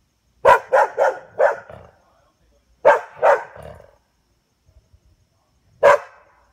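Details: A dog barks at a fox after dark: a rapid run of four harsh barks, a pause, a pair of barks, then one final bark in still surroundings.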